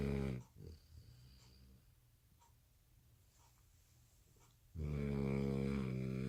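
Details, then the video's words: Exhausted American Bully puppy asleep at night, having missed its after-dinner nap, gives loud throaty snores: a short burst at the start, a long quiet pause with soft breaths, then a strong drawn-out rasping snore. "Puppy snores so loud | American Bully"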